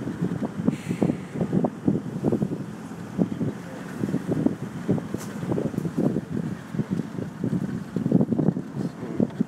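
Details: Gusty wind buffeting the microphone with a low vehicle engine rumble in short irregular bursts, and no animal calls.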